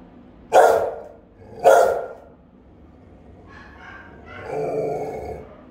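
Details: Rottweilers guarding a house, filmed by a camera the dogs discovered: two loud, resonant barks about a second apart, followed by softer whining and rustling noises.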